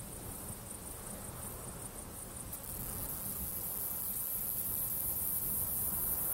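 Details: Male Fat-bellied saddle bush-cricket (Pycnogaster jugicola), Sierra de Gredos, 17 July 2019, gives its calling song: a thin, continuous, very high-pitched buzz.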